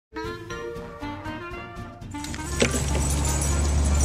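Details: Plucked melodic music for two seconds gives way to a loud broadband rumble and hiss, with no animal voice.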